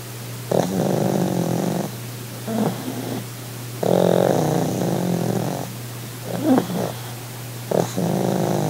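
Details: Sid the Pug, a pug relaxing on holiday, makes over-the-top purr-like rumbles: long buzzy bursts of low harmonic sound, each lasting one to two seconds, separated by short quiet breaths and repeated steadily.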